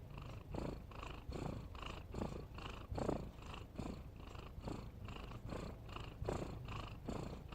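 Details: Sleeping cat making a steady snore, a low grating rumble repeated about seventy-five times a minute with airy hiss on each breath, quiet background.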